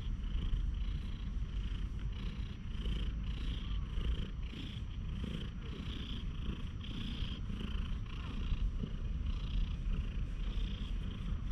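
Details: A friendly one-eyed stray cat in a quiet park purrs while being petted, filmed on a GoPro HERO8: a steady low rumbling purr with soft rhythmic pulses of breath, and faint rustling in the background.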